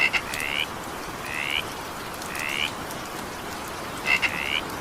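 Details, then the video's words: A frog croaks in evening rain, four drawn-out upward-sliding nasal notes spaced about a second apart, the first and last opening with quick clicks, against constant rain patter. "20 minutes evening rain sound effect with frog sound"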